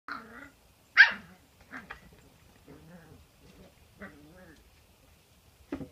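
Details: Cairn Terrier puppies indoors: one sharp, high yappy bark stands out, followed by softer whining and yipping vocalisations with harmonic stacks, a few short quiet calls, and a final short bark near the end.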